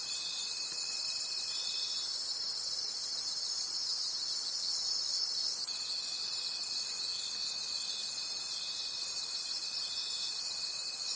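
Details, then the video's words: Crickets singing in a forest after dark: a high, pulsing shimmer of trills beating roughly three times per second, with a steady shrill note that pauses briefly and then resumes. "Forest Sounds and Cricket Conversations at Night"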